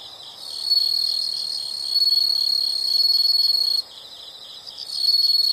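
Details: Natural insect sound: a loud, shrill, high-pitched buzzing trill that holds for about three seconds. It drops off to a quieter pulsed chirping, then the loud trill returns near the end.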